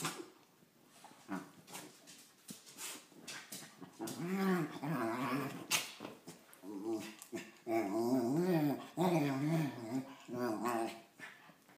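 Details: Cairn Terrier mix dog in the SF Bay Area: quiet rustling and clicks at first, then a series of warbling, wavering growl-whines coming in quick bursts during the second half.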